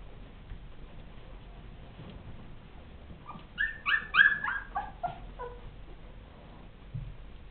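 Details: Ten-day-old Rhodesian Ridgeback pups giving a short burst of high squeaky whimpers and yips, clustered over about two seconds midway, with quiet background before and after.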